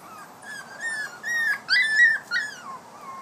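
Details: Five-week-old puppy at play, giving a run of high, thin, whining whimpers, each sliding up and down, several in quick succession over about three seconds, with no other clear sounds.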